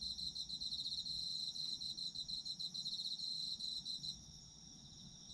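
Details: Autumn insect chorus for sleep listening, a bright, pulsing high trill repeated rapidly for about four seconds before fading to a quieter steady hiss of distant insects.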